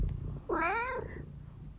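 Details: Eric, a senior tabby cat from England, gives one clear meow indoors that rises and then falls, lasting about half a second, after a woman asks what noise he is making today.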